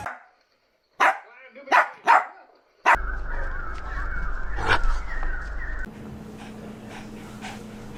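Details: Playful puppy barking from small breeds like Pomeranian, Chihuahua, Maltipoo, Poodle or Bichon Frisé: one bark, a gap, then three quick sharp barks before a loud, steady hissing drone takes over.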